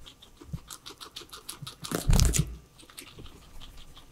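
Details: Indoor scene of three pet guinea pigs enjoying their vegetables; rapid, fairly steady nibbling clicks, about three or four per second, interrupted midway by a loud rustling crunch, with no speech or music.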